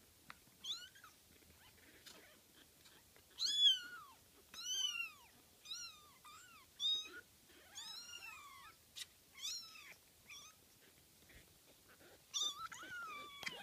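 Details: Kittens frolicking on 12 June 2014 give a steady run of high, arching mews, each a short rising-then-falling cry, some drawn out and some clipped, repeated every second or so with brief pauses, amid soft indoor rustling.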